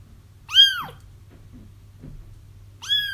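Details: Crying kittens, used to lure their feral mother into a trap: two loud, bright meows, each falling in pitch and about half a second long, separated by a quiet gap with a faint low hum.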